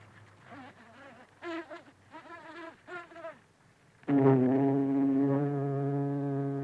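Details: Buff-tailed bumblebee (Bombus terrestris) feeding from flowers, close range: several brief, wavering buzz bursts about once a second, then a loud, sustained low drone that holds an even pitch to the end.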